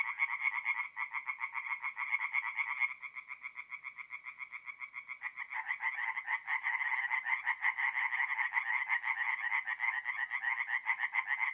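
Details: Singing tree frogs at a north-east Italian forest pond on an April night, their rapid croaking pulses overlapping as several callers drop out and rejoin, the chorus thickening and growing louder after about five seconds.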